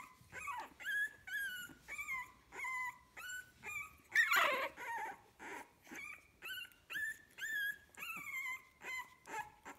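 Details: Litter of puppies 15 days old whimpering and squealing in a steady stream of short, high, bent whines, each dipping or rising in pitch, coming roughly every half second with brief gaps, one louder harsh squeal near the middle.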